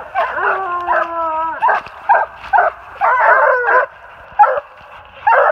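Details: Walker hounds treed on a big den about 450 yards away, New Jersey, March 2018. Two males and a female voice loud treeing bawls: one long, level, slightly falling howl, then short chopped barks and wavering bawls in bursts.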